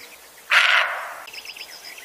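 A roe deer gives one harsh, hoarse, bark-like call, with faint bird chirps afterward.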